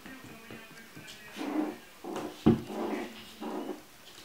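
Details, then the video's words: Chinese Crested puppies giving a run of four or five short, tonal whimpers and yelps in quick succession, one sharp loud yelp midway, with faint background music and indoor rustling. "Щенки Китайской хохлатой"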